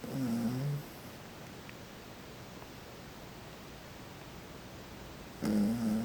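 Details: Sleeping toy poodle named Nemuro, curled against a person's back, lets out a short rasping snore, then near-silence for about four seconds before another low, grating snore.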